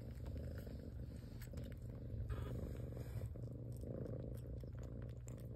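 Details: Mother domestic cat purring while cleaning and tending her newborn kittens indoors: a continuous low, rumbling drone throughout, with soft clicks and rustles on top.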